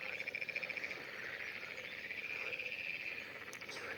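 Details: A dense chorus of frogs croaking by a fishing pond, their high trilling calls blending into a steady, buzzy wall of sound.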